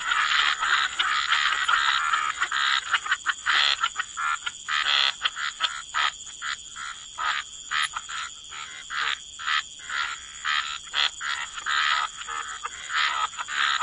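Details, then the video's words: Croaking frogs at the waterside, rasping pulsed croaks in bursts roughly every second, irregular in spacing, over a softer background chorus and a steady high-pitched hiss. "Frog Lullaby: Relax to the Sound of Croaking Frogs"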